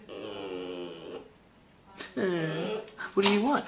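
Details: Pet Boston Terrier bitch indoors vocalizing instead of barking to demand attention: three sung, moaning whines, the last bending upward, with a person asking what she wants nearby.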